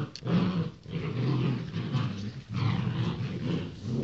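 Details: Young Rottweiler pups born 28 January 2016 produce loud, low grumbling growls, two sustained bursts split by a brief pause.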